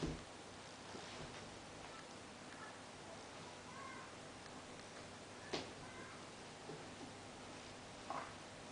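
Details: Ten-week-old Bengal kittens at play indoors: a few faint, short mews scattered through the clip, partly buried under steady background hiss, with sharp knocks and thumps from their play.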